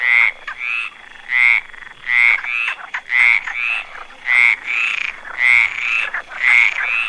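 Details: A frog in moss croaks in a regular rhythm, each loud ratcheting pulse paired with a weaker climbing note, pairs spaced close to a second apart, over a faint continuous high-pitched tone.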